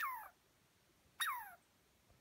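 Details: After a dog chased it up a tree, an upset squirrel in the North Cascades gives two separate falling, squealing whines about a second apart against quiet background, with a sharp click at the end.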